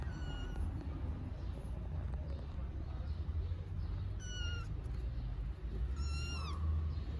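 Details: Hungry stray kittens living on the street in Istanbul, waiting to be fed, give high, thin meows with sharp rising-falling tone, three separate cries spread over several seconds, above steady low traffic rumble.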